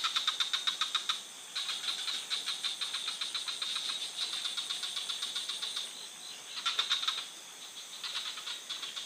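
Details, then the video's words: A night forest chorus of frogs: bursts of rapid clicking pulses, about four a second, broken by short silences, then resuming. Steady high insect-like whine throughout. "frog sound for sleeping"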